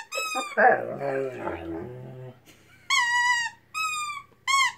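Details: A Weimaraner in a singalong, with music playing, howls in long, clear, slightly falling tones, with a person's voice heard in between.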